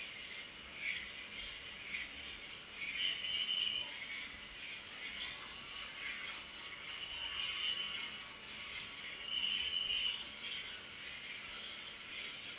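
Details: Unbroken high cricket trilling on a summer-like night scene, steady and ringing, with softer lower chirps pulsing every few seconds behind it.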